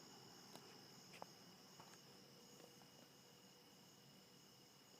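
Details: Crickets calling at daybreak in thick fog, recorded through a bedroom window: continuous high-pitched shrill trills holding steady, with a few soft clicks and taps scattered through.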